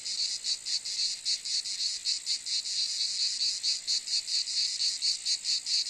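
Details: Continuous high, grating cicada buzz, evenly pulsed at around four beats per second for the whole stretch, loud and steady with no other sounds.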